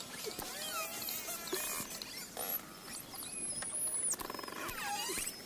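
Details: Bottlenose dolphins underwater: high rising and falling whistles, rapid click trains and scattered buzzy bursts over a hissy hydrophone background.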